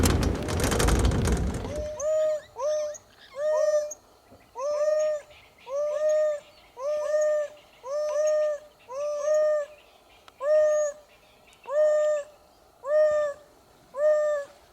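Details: Two young male African wild dogs, or painted wolves, separated from their pack and calling to regain contact, directing calls down into the ground for distance. Clear tonal hoo calls, each a short arched note, repeated roughly every second after an opening burst of noise.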